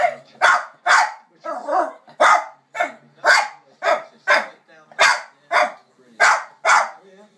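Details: A little Jack Russell Terrier barks at dogs on TV in sharp, high, yappy bursts, about two every second.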